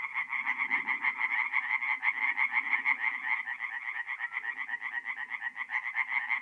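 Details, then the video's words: Night chorus of tree frogs at a forest pond in north-east Italy, mid-April: loud, fast knocking pulses in overlapping bursts, several callers at once, with soft low croaks behind. "relaxing forest pond by night with singing tree frogs"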